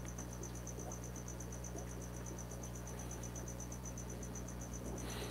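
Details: Banded crickets kept indoors in a room, quieter than house crickets, give a continuous rapid series of high chirps, about four per second, over a low steady hum and faint room noise, with a brief click at the end.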